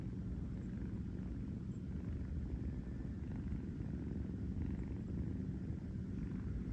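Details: Low, continuous purring from Kurt, a New York kitten settled on his fuzzy bed for a nap; the rumble pulses evenly and rapidly without a break, against a faint constant background hum.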